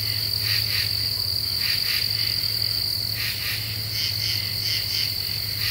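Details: Common true katydids at night in deciduous forest, July 2013: brief gritty double and triple pulses from overlapping singers, set against an unbroken high insect buzz and a soft low hum.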